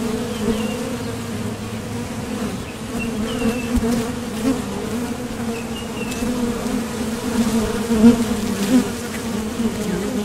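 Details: Honeybees streaming in and out of a Top Bar Hive entrance between nectar trips. A droning low hum with an upper overtone, with a few faint high chirps around three and six seconds and louder passes near eight seconds.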